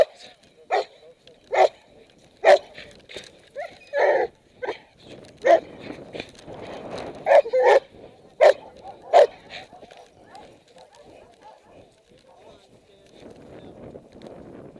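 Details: A puppy in protection training barks in short, sharp bursts at irregular intervals, sometimes in quick doubles, with a man's coaching voice and rustling between barks before it falls quiet.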